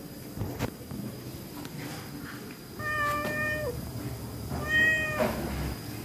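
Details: Hungry pregnant stray cat in a kitchen, taking fish, gives two drawn-out harmonic meows, the first long and steady before dropping at the end, the second shorter, over a steady low room hum and faint clicks.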